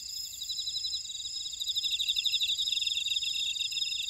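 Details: Insects calling in a Jeju buckwheat field, Ora-dong, South Korea: high sustained trills overlaid by fast rhythmic pulses that grow louder and more distinct after the first second and a half.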